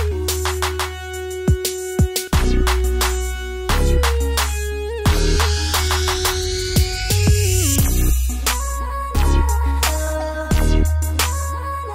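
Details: Hip hop style music with a heavy bass beat, synth tones and sweeping electronic effects plays throughout, with no animal sound heard.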